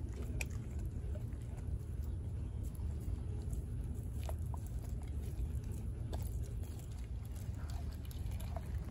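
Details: Denali, a four-month-old female American Blue Bay Shepherd puppy, eating a raw turkey neck; steady crunching and gnawing with sharp clicking bites scattered over a low, dense rumble.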